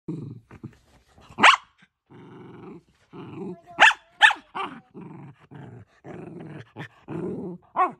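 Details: Shetland Sheepdog giving low rumbling growls in short bursts, broken by a few sharp, high barks, with brief quiet gaps between sounds.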